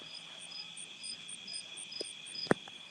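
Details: Night insect chorus of crickets outside a farmhouse in Nauvoo, Illinois: a steady high shrill drone beneath short higher chirps pulsing several times a second, with a sharp knock near the end.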